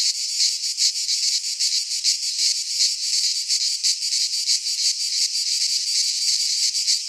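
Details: Greek cicadas in a pine forest in midsummer produce a loud, piercing buzz that swells and fades in fast irregular pulses, a constant insect wall of sound.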